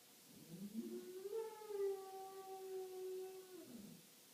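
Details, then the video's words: Pet dog inside a house howls when tornado sirens are tested. One howl climbs from a low start, holds a steady drawn-out tone for about two seconds, then slides downward and fades away. "Dog is tornado siren"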